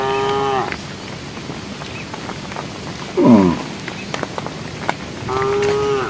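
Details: Herd cows calling the herd on a project road: a flat harmonic moo at the start, a short louder falling bawl midway, then another long steady moo at the end over rustling background.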